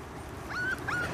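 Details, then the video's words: Pembroke Welsh Corgi puppies, 34 days old, playing outside for the first time: two thin, high whimpers, the first a short steady whine and the second a brief rising-then-level squeak, over soft background noise. "34 days old Corgi Puppies, First Time Playing Outside"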